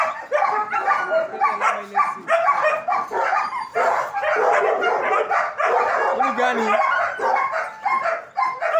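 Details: German Shepherds barking in a group at a training academy, rapid overlapping barks and yips filling the whole stretch, with a faint human voice underneath.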